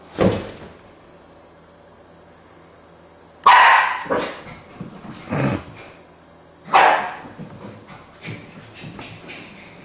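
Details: Keeshond named Sassy indoors, giving loud, broad barks at about 0.2, 3.5 and 6.8 seconds, each followed by softer huffing grunts and small yips in a quiet room.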